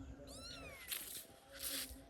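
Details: Domestic cat, apparently in distress after being attacked by dogs, gives a single drawn-out meow that rises then slides downward, over a hissy background with short noisy bursts.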